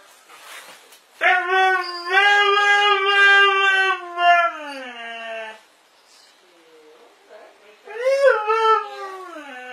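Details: Domestic dog "talking" to its people: a drawn-out, whining howl lasting about four seconds that slowly sinks in pitch, a short pause, then a brief rising and falling yowl near the end.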